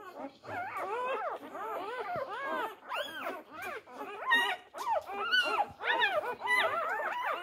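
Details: Several four-day-old Labrador Retriever puppies competing for their mother's teats keep up a continuous chorus of overlapping arched whimpers and squeaks, rising and falling quickly with barely any gaps.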